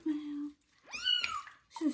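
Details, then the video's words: Kitten during its first bath, indoors in a bathroom: a steady low hum-like tone, then a loud arched meow that rises and falls, with the start of another cry at the end. "First bath for kitten Johnny and its loud meow"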